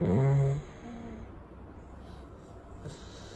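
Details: Sleeping Chow Chow resting after a wash on a warm day. One loud, low, buzzy snore lasts about half a second, then breathing stays soft and faint in a quiet indoor room.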